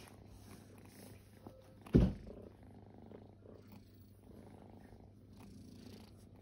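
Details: Low, quiet purring from resting kittens, a soft continuous rumble broken near the two-second mark by a short loud thump or snort-like burst, then settling back.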